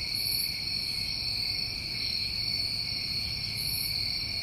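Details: New England summertime crickets at night, a dense steady chorus of continuous high trilling in several stacked pitch bands, unbroken throughout, with brief very high chirps near the start and end over faint low rumble.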